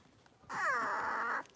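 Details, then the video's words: Blenheim Cavalier King Charles Spaniel puppies, a litter of five born at New Year's, playing in a home puppy pen. A single sustained, high, tonal whining yelp lasts just under a second and falls slightly in a quiet room. "Cavalier Puppies Livestream: Playing, Barking, and Learning"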